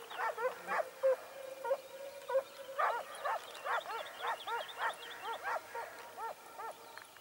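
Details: Segugio Italiano scenthounds, smooth and wire coats, chasing hare near Sofiko, Evros, Greece, in mid-October 2015. A few barks and a short drawn cry give way to a fast, rhythmic chain of ringing bays.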